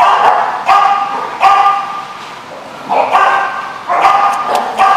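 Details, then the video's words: Dog barks recorded 22 June 2015, a mix of short yips and longer, drawn-out tonal barks with a clear ringing pitch, arriving in clusters with a brief lull midway. "The Barking Lot"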